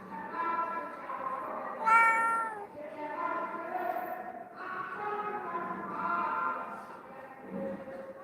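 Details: Domestic cat, one of the abandoned street cats taken in and cared for at a home since 2016, gives one short meow that rises and then falls near the middle, with steady background music playing throughout.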